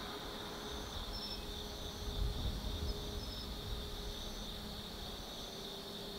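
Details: Chorus of autumn insects after dark at Tsukimi no Mori, Gifu Prefecture, near a hilltop observation deck over the Nobi Plain; continuous high ringing drone with brief chirped trills on top, and a deep rumble of distant traffic underneath.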